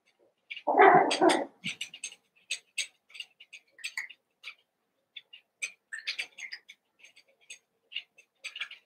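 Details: Cavalier King Charles Spaniel puppies, Daisy's litter of six merged with Robin's two remaining pups, playing together during their last days before leaving; one loud low burst opens, followed by rapid scattered high-pitched squeaks and yips.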